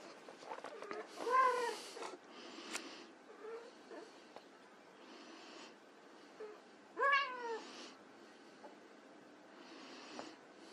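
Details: White Persian kittens at play give two clear harmonic meows, one near the start and one past the middle, each rising slightly then dropping, with soft rustling and brief fainter squeaks between them.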